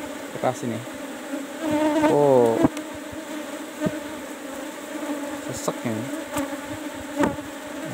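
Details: Kept Apis cerana colony at hive box 17 during a honey harvest: a sustained buzzing hum, overlaid with speech around two seconds and again near six seconds, plus intermittent clicks.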